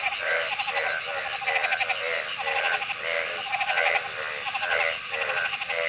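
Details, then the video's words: Several frogs croaking at once in a thick pulsed chorus, bursts of rattling calls recurring about every second, layered and continuous, over a faint high-pitched background hiss. "Frog Sounds"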